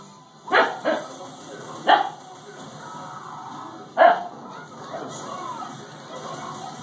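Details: Siberian Husky puppy Dakota barking at a doorstopper she dislikes; three sharp puppy barks spaced about one to two seconds apart, followed by quieter growly rumbling and faint human voices.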